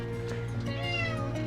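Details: Brut, a rescue cat in Tenerife who craves attention while competing with about 40 cats, gives a drawn-out, wavering meow that rises and falls as he is about to leave for a new home.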